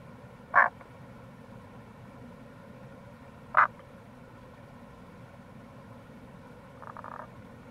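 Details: Tago's brown frog in April beside a gorge at the Kamo River, Itoshima, Fukuoka Prefecture, Japan: two abrupt, loud clicking notes three seconds apart, followed by a quieter buzzy pulsed croak, with a steady low rush behind.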